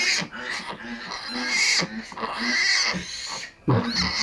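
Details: Domestic sow farrowing before dawn: harsh, noisy squeals and grunts repeat almost continuously, broken by short pauses, with a person talking nearby.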